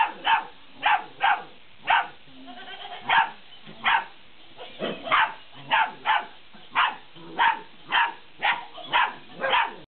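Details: Young Malinois puppies, 50 days old, playing with a laughing cat toy, letting out a steady volley of roughly eighteen sharp, squeaky barks, often in quick pairs, over about ten seconds.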